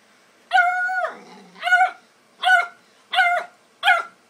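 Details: Bluetick Coonhound puppy playing with a cat on a porch, giving five loud harmonic barks and yelps about every 0.7 seconds, the first drawn out into a longer howl-like note, with quiet gaps between calls.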